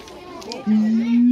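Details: A siamang at Higashiyama Zoo lets out a loud, sustained, human-like, low hooting scream that rises slowly in pitch.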